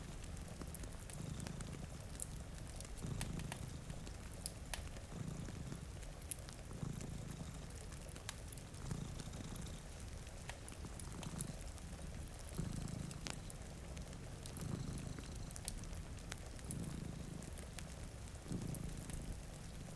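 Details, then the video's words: Sleeping cats by a rainy window purr in deep, rhythmic swells that return about every two seconds, layered with rain noise and snapping crackles from a fireplace. "Purring Cat"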